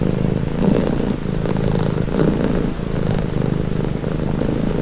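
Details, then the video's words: Soft, deep purr of a pet cat, a grainy low rumble with gentle surges about every second and a half, nothing else audible. "1h Purring cat"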